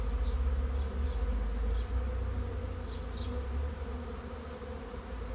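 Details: Swarming honey bees searching for a new home, making a continuous deep droning buzz that holds steady throughout, with a few faint higher chirps near the start.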